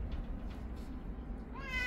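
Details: A domestic cat in a home with several young and older cats gives one short rising meow with clear harmonics near the end, after a stretch of low, steady indoor rumble.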